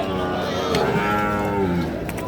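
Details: Sahiwal and other breed calves, six to eight months old, at a livestock market; one long, low moo that slowly falls in pitch, over busy market murmur and voices.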